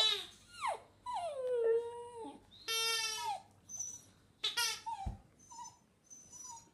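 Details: Border Terrier Hamish singing with sweeping whines and howls, rapid falling slides and wavering tones, softer and more broken near the end over faint background hiss.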